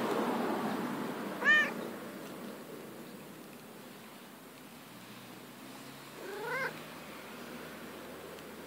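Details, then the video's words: Domestic cat, female, playing outside in grass, produces two arched, wavering meows about five seconds apart, the second quieter and lower, amid soft background rumble. "Cat Neko makes cute noises"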